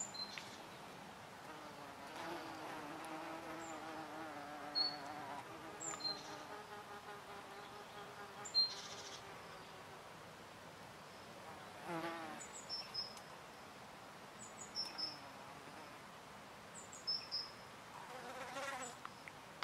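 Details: Hornets drinking oak sap: a low droning buzz with steady harmonic tones that rises and falls for several seconds as insects hover, plus short, sharp high chirps scattered through the recording.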